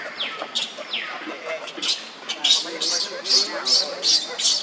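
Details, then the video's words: Young monkey Leo cries on the ground as Libby torments him: a few falling squeaks at first, then a rhythmic series of loud, high, harsh screeches about three per second. "Leo is crying on the ground"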